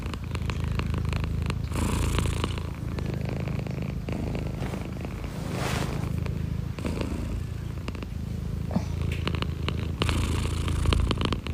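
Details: Pet cat purring continuously, a deep, even rumble pulsing rapidly and steadily for nearly twelve seconds, with soft scratchy handling noises over it now and then.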